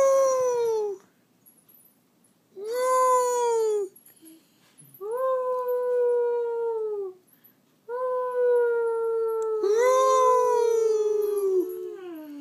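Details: Dogs indoors howling along with a person, long sliding tonal howls in bursts of one to three seconds separated by short silences, overlapping voices near the end.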